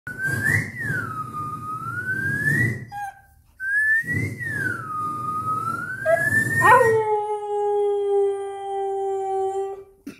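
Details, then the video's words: Siberian husky, a pet, howling into a microphone when prompted by its owner; long wavering tonal howls that rise and fall twice, then steadier drawn-out notes at the end, with background music. "Sibeirian husky DAGGU singing with microphone"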